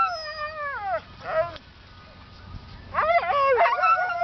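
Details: Several Siberian Huskies singing together: a long wavering howl slides downward over about a second, a brief break, then overlapping howls rise and fall with rich harmonics.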